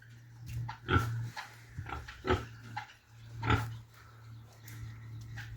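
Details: Pig grunts from a group of male, female and sow pigs: sparse, short, rough grunts about once a second over a steady low electrical hum.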